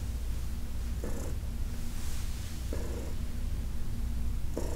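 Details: Purring of Heidi, an elderly adopted cat, under massage on August 4, 2021: a close, low drone broken by three louder breathy surges spaced about one and a half to two seconds apart.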